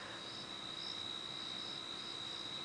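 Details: Crickets keep up a steady, high, unbroken trill at dusk on a game reserve on 4 March 2017, with a faint wash of other insect buzz beneath, after possible thunder and as everything else falls quiet.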